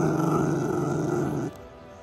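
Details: Mameshiba growling with food aggression over a pig snout treat, a steady low rumbling growl lasting about a second and a half, then cut off, with background music.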